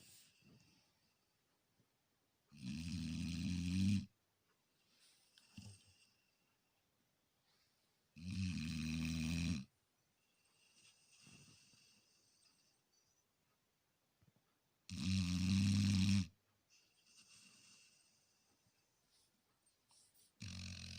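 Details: Labrador Retriever asleep indoors, snoring in long rasping breaths about every six seconds, each lasting over a second, with quiet breathing between snores.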